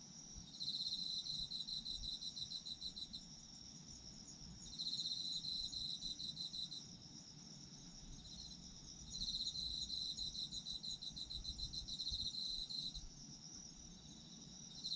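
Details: Sleep-time recording of autumn insects: three long bursts of fast, high trilling chirps, each lasting around three to four seconds with quieter gaps between, layered over a steady, thin ringing drone of further insects.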